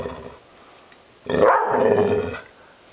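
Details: Maggie, a pet dog described as upset, lets out one drawn-out harsh growling vocalisation lasting about a second, then quiet.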